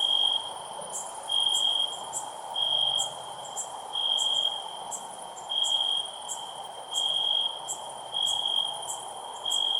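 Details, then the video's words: A loudly chirping cricket gives short shrill pulsed trills at fairly even intervals, about seven in ten seconds, over a persistent insect hum with scattered crisp high clicks. "Cricket Chirping Sounds"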